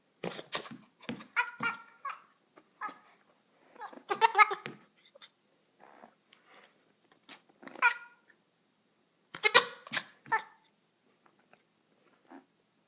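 A young goat gives odd, broken bleats in irregular bursts, some almost like laughter.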